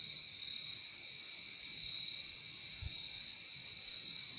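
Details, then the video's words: A constant high cricket chorus from a nature recording, shrill and pulsing slightly in loudness, with a single faint low thump near the middle. "Relaxing sound of crickets"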